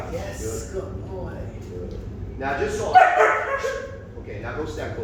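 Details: Puppy in repeated bark training, frustrated because it cannot get to the handler. A single loud, harsh bark comes midway, surrounded by a trainer's steady talking and encouragement.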